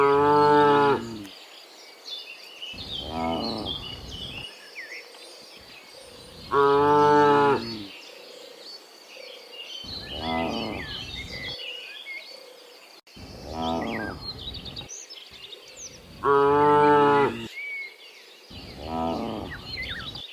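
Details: Dozens of cows walking back from the field to the pen in the morning: repeated long, deep moos from several animals, some loud and close, others softer, with birds twittering throughout.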